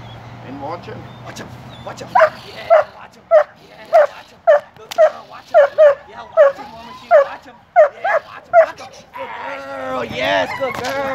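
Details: Six-year-old German Shepherd in kennel protection training, giving a run of about a dozen sharp, evenly spaced barks, then a louder, ragged growling bark with human voice faint in the background.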